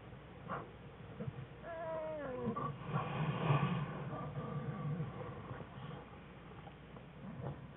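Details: American black bear cubs playing in their winter den with their mother on February 21, 2013, among research bears; a few short harmonic cries slide downward, over rustling, shuffling and low rumbling movement in the den.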